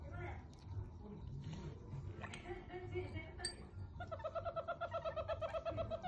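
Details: Meerkat baby kept at home taking milk for the first time; after a few seconds of soft rustling and low murmurs, a fast, steady series of squeaky chirps begins and continues to the end.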